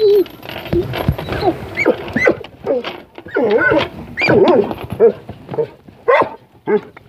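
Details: Puppies passed while someone was out exercising, giving repeated high, wavering whines and short yelps, each rising and falling in pitch, with gaps between bursts and some low background noise.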